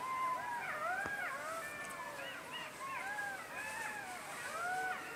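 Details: Jackals calling in a busy group, quick wavering yips and short howls that rise and fall, piling on top of one another without pause, a sharp click near the start.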